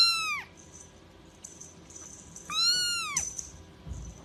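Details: Domestic cat giving two clear, arched meows about two seconds apart, each rising then dropping in pitch, with faint hiss and rustling between them.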